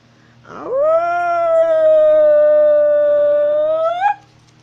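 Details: Wolf in North Eurasia howling while walking: one long, steady, clear tone that swoops up at the start, holds level for about three seconds, then rises sharply and breaks off.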